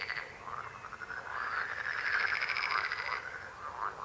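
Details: Frog croaks heard close: a long, throbbing, rapidly pulsed croak of mid pitch builds and holds for about two seconds, with other frogs calling more quietly around it.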